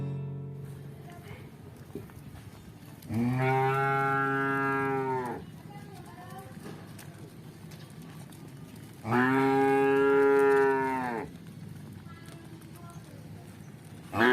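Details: A cow walking in a village gives two long, deep, harmonic moos, each about two seconds, several seconds apart.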